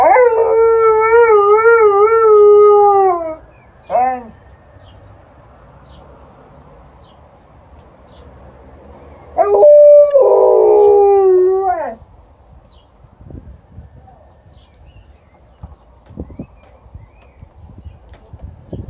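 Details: A female Alaskan Malamute gives a long, wavering howl, then a brief yelp and a second, falling howl, responding to passing ambulance sirens.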